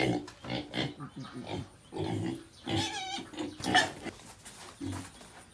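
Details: Pet pig among piglets at home giving a run of rough, low, rapid grunts with a few higher squealing notes, fairly loud and close, with faint voices in the background.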